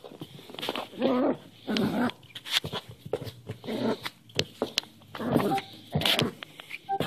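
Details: Cairn Terrier puppy, newly adopted, play-fighting indoors while hand wrestling; short rough growls in bursts of about a second, with snarly yips and clicks of movement between them.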